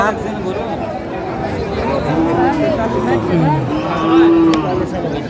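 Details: Cattle at Aftabganj cattle market in Dinajpur on 5 March 2025, during Ramadan, where thin, bony cows are sold. Low, steady mooing calls sound twice, partly under lively human chatter and bargaining voices.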